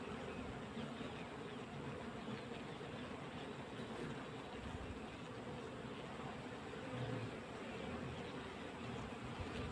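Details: Many honey bees crawling on a wooden hive frame during winter, their wings making a thick continuous buzz with a low droning layer and a faint brief rise near the end.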